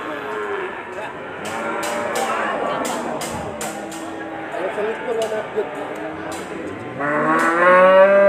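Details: Bull at a busy cattle market in Sleman, Ambarketawang, shown as a sacrifice animal. Clattering, knocking and general market noise run throughout, then a loud, rising harmonic moo begins near the end.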